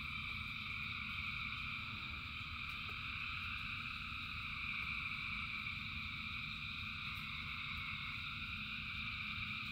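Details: A massive frog chorus in the rain, thousands of callers blending into steady high trilling layers, constant throughout, backed by a low continuous roar of rain.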